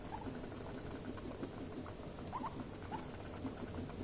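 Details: Two guinea pigs in an escalating stressful encounter: short, high squeaks come in small clusters, some doubled, over a steady low rustling patter, possibly teeth chattering, with a quiet indoor background.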